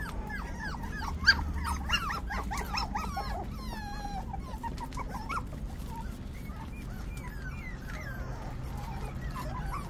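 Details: Five-week-old puppies whining and squealing, a busy cluster of short wavering cries early on that thins to sparser, quieter whimpers later, over a low background hum.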